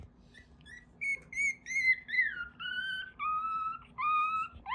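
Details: Newborn Mame Shiba puppies crying while dreaming, raised in Isa, Kagoshima, Japan: thin, high, whistle-like whimpers, about seven in a row after a quiet opening, each a short tone sliding slightly downward, repeated roughly every half second.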